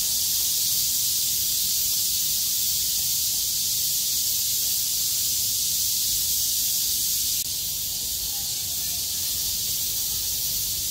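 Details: Many cicadas that survived a heavy downpour sing loudly together on 6 August 2020 once the rain stops and the weather clears, making an unbroken shrill hiss that shifts slightly in tone partway through.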